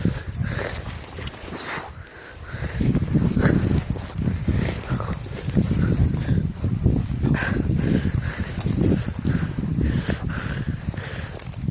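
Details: Dogo Canario puppy, five months old, attacking in Transilvania: a deep, rumbling growl that runs almost continuously with rapid pulsing, over scuffling and movement noise.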